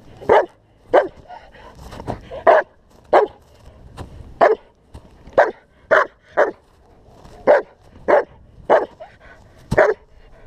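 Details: German Shepherd in protection work giving a long run of loud, forceful barks, about fifteen in ten seconds, mostly evenly spaced with brief pauses, each bark short and explosive, with some faint shuffling between them.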